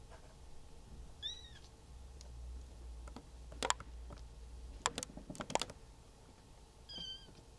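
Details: Cream Maine Coon kitten named Natsumi, three weeks old, at a Tokyo cattery, giving two thin high arched mews several seconds apart, amid handling clicks and low rumbling background noise.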